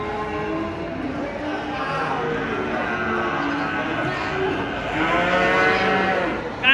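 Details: Giant cattle raging as three come down off a truck at a market in Indonesia; overlapping harmonic moos rise and fall across the whole stretch, with a noisy crowd and engine hum beneath.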